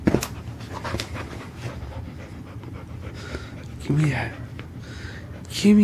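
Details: Panting from Lucy, a chow and Labrador mix, busy with her favorite toy indoors; rough breathy pants run throughout, broken by short bursts of a human voice near the middle and at the end.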